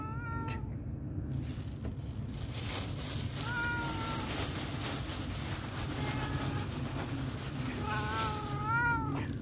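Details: Hungry homeless cat asking for food meows several times, short wavering cries spaced a few seconds apart, with the last one longer and louder, against constant low traffic-like rumble and hiss.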